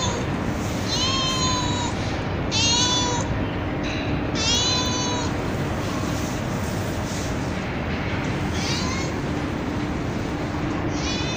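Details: Kittens and a street cat meowing at night on a terrace after being given food: several bright, slightly falling meows, some short and some longer, over continuous hum.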